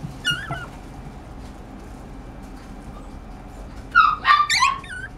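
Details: Pomeranian dog making high, wavering whimpers and yips: one at the outset, then a quick run of three or four rising-falling yelps near the end, with low indoor hum beneath.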